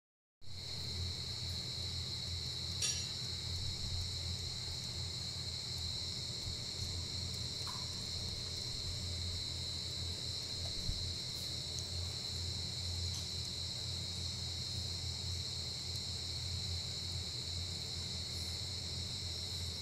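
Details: A giant short-tailed cricket gives a steady, shrill, unbroken trill over a low background rumble; this cricket comes above ground once a year, in the breeding season.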